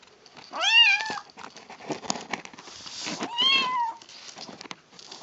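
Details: Female kitten calling during a meal: two tonal meows about two and a half seconds apart, the first sharply arched, the second flatter and drawn out, amid continuous crunchy chewing sounds.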